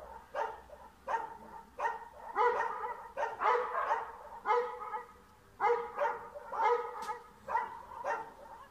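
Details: Chasing a cat from a yard in Bulgaria, a dog barks steadily, roughly one rough, ringing bark per second, with short gaps and a few quick doubled barks.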